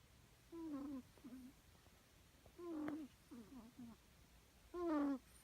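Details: Rescued kitten snoring: a squeaky, steady whistled note followed by two or three short falling squeaks, the pattern returning roughly every two seconds in a quiet room.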